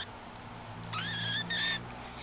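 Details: Cute Persian kitten playing in bed, uttering two short, clear, steady high-pitched mews split by a brief pause, over a low background hum.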